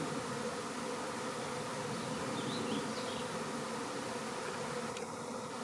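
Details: Honey bee swarm settling into an empty beehive set out with swarm lure, May 2019; a continuous broad murmur of countless wings drones steadily for several seconds, with a brief faint higher note near the end.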